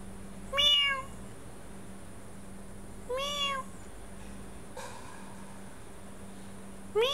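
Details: Meow sound played to a sleeping cat, which reacts with its tail: four short, bright meows spaced a few seconds apart, each gently rising then falling, over a steady low electrical hum.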